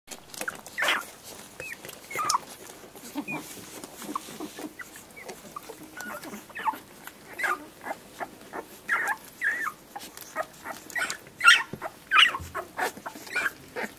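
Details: Seven-day-old whippet puppies, including an orange female, from a litter born in 2018, making frequent high squeaky whimpers and short squeals at irregular intervals, several rising and falling, with soft shuffling between cries.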